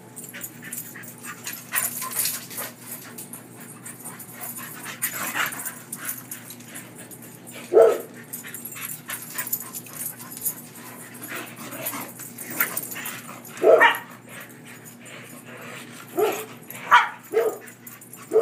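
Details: German Shorthaired Pointer named Luke playing in a yard with his canine friend Dakota; short, high yelping yips burst out near 8 and 14 seconds, then several more close together toward the end, over a quiet hissing background.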